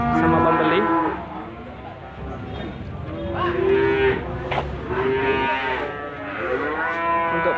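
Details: Limousin cattle at the Gondanglegi animal market in Malang, East Java, on 12 February 2020, lowing loudly with harmonic-rich moos that rise and fall, several overlapping calls, with faint market background noise.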